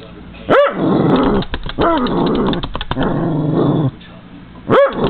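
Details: Cairn Terrier dog reacting to feeding seagulls and crows through a window; a sharp bark, then growling and rumbling barks, and a final loud bark at the end.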